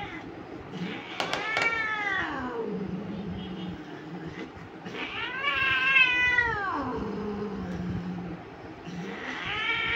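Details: Persian cat during mating, giving long wailing yowls: two drawn-out harmonic cries that rise then fall, about four seconds apart, with a third starting at the end, over a low steady background hum.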